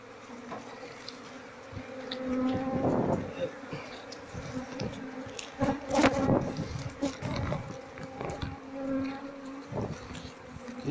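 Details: Queenless Apis cerana colony buzzing as the combs, filled with honey and without larvae, are taken out in a search for the queen; a sustained low hum that swells and fades, broken by knocks, rustling and brief speech.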